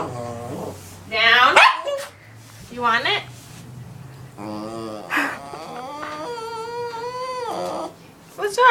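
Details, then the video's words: A pet dog, female, whining because she wants her bone back: drawn-out, wavering, nasal whimpers that rise and fall, with a long sustained whine near the end, mixed with a woman's coaxing speech. "Dog makes funny sounds"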